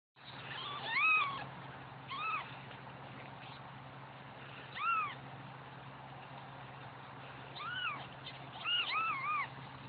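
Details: Newborn kittens crying while their mother is away: high, arched, rising-then-falling mews with bright harmonics, given singly or in quick pairs and triplets at irregular intervals over ten seconds, with a low steady hum underneath.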